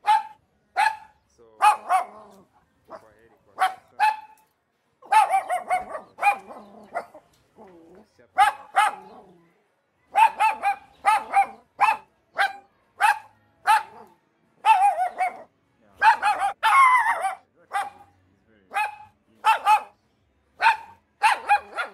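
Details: Tiny Chihuahua dog giving sharp, high, yappy barks in short bursts, singles and quick doubles and triples, with brief pauses between them, spread evenly over twenty seconds.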